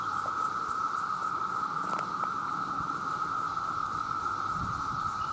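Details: Male cicadas by the million crying out to attract females, very loud: one continuous, even buzzing drone that never pauses, with a few soft taps and rustles in the background.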